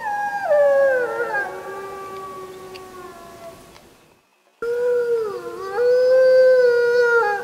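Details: Full-moon wolf howling on 31 July 2015, captured on a JVC Everio GZ EX215: a rich howl that falls in pitch and fades, a brief silent break, then a second strong howl that dips and rises again.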